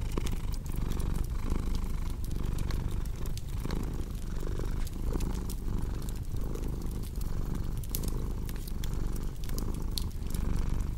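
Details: Low, vibrating cat purr pulsing in even breath cycles roughly every second, accompanied by steady crackling and sporadic snapping from a fireplace.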